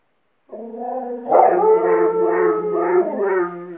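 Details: Alaskan Malamute and the second dog it taught to howl: a long steady howl joined by a second voice, the blended tones pulsing in gentle waves for over two seconds.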